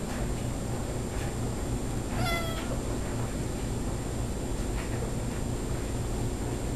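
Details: Tabby cat chatting while posing, one brief, soft meow midway through, steady and slightly falling, surrounded by low room hum and near silence.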